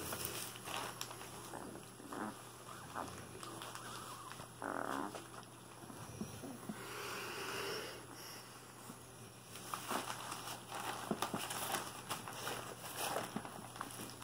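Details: Cane Corso puppies, 23 days old, a litter including a dark brindle male, making soft nasal whines and snuffling grunts in short bursts, with a longer drawn-out whimper midway, over steady low hum and rustling as the pups move.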